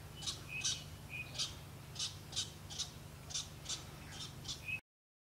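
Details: Loud squirrel alarm from the Okavango Delta in Africa: sharp, rasping chips repeated about twice a second, with a few thinner squeaks mixed in, ending abruptly; steady low background hum.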